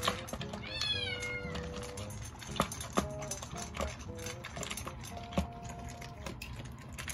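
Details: Pet cat asking for food in a Japanese home shared with Shiba dogs: one rising then falling harmonic meow, followed by soft shorter mews, clicks and clatter, with background music and household noise.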